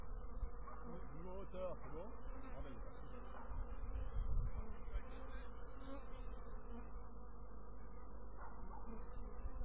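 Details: A continuous droning hum from honey bees, rich in low tones with stacked overtones. A few wavering buzzy sweeps rise and fall early on, and a faint steady high whine runs throughout.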